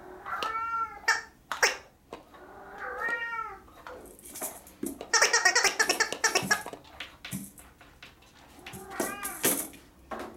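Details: Kittens at a cattery meowing indoors: several short harmonic mews, arched and slightly rising-falling, scattered through the clip, with a burst of broadband rustling and handling noise in the middle.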